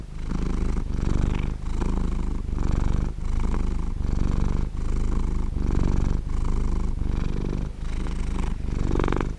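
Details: Warm, round purring from a house cat: a continuous deep vibrating rumble broken by short pauses as the cat breathes in and out, cycles repeating a little under once a second.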